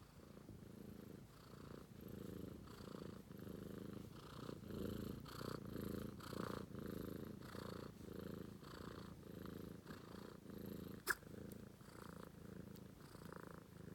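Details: Sleeping British Shorthair kitten named Romeo purrs without pause, a deep vibrating rumble rising and falling with each breath, plus a single sharp click near the end.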